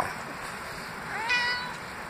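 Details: Reuben, a pet cat who rarely vocalizes, gives a single clear meow, a harmonic tone that rises slightly then holds and falls over about half a second, against steady background hum.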